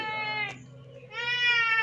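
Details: Cat sick with serious scabies, starving and thirsty, crying as it asks for help at a house; two long, strained, nasal meows with a brief pause and a faint low hum beneath.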